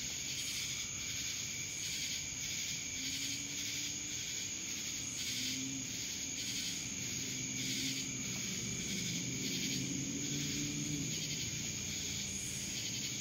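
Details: Dallas, Georgia cicadas droning in a loud, unbroken high buzz with pulsing waves about twice a second, while faint low hums drift underneath in the middle of the recording.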